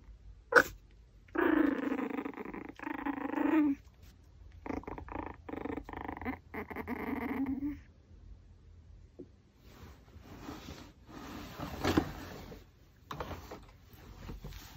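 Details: Pomeranian eating raw pork backbone, with three stretches of whiny, growly moaning and brief breaks between them. Crunching and chewing noises follow as the dog works on the bone.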